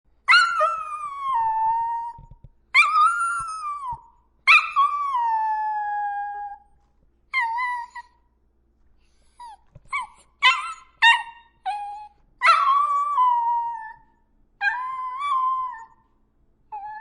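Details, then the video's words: Dachshund, a German badger dog breed, giving drawn-out whining howls that slide downward, interspersed with short sharp yips in quick bursts. The long notes are separated by brief silences, with no other sounds. "What does a Dachshund sound like? (Dachshund Dog)"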